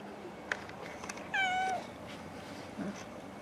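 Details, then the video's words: A pet cat gives a single steady, tonal meow while being greeted in the morning, held for about half a second before fading. Faint taps and quiet indoor background noise are heard around it. "Morning Greetings To My Cats"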